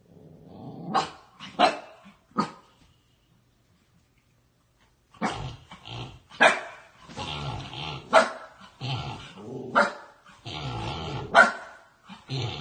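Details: Puppy barking in bursts, a few sharp barks early, then a pause of silence, then a longer run of rough barks mixed with low growling, roughly one every second.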